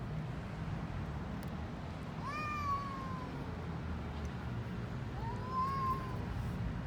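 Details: Hungry stray cats eating on a street in Istanbul, Turkey: two moderate arching meows, rising then sagging, about three seconds apart, half buried in heavy low traffic rumble.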